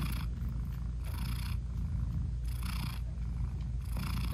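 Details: Mother British Shorthair cat lovingly purring while nursing her closed-eyed newborn kittens indoors; a dense low rumble with three soft airy swells about 1.4 seconds apart, nothing else heard.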